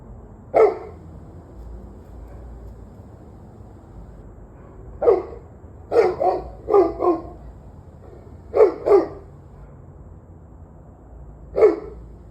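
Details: A dog barks repeatedly at 7:06 pm on 11/21/23. An opening single bark is followed by quiet, then a run of short paired barks and a final single bark. Each bark is abrupt and mid-pitched, over faint low rumble.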